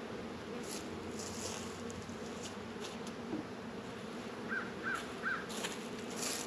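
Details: Honey bees busy at the hives in a northern Kentucky apiary on a warm 72-degree February day. A dense low droning hum fills the clip, with a quick run of three bird chirps near the end.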